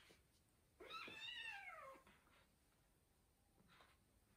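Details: Female house cat left alone at home with a younger cat, playing and making a mess in a room; one long harmonic meow rising then falling over about a second, followed by a faint shorter call and quiet room background.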